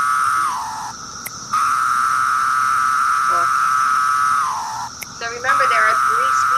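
A male periodical cicada's courtship song: long, steady buzzing tones that slur downward at each end.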